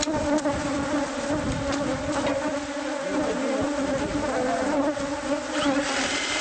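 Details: Agitated bees pouring from a hive found inside a house wall during pest-control removal; loud, continuous buzzing drone holding a steady pitch, thick and unbroken across the whole stretch, with faint rustling beneath.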